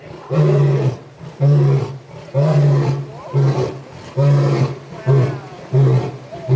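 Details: A male lion pacing near the front of his San Diego Zoo enclosure at sunset gives a steady series of deep, grunting roars, each about a second long.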